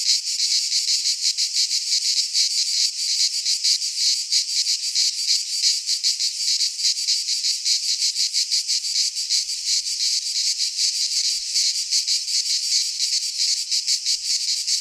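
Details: Many cicadas calling together in a Greek pine forest during midsummer, producing a bright, sizzling high-pitched drone that throbs rapidly and never pauses, with nothing else audible.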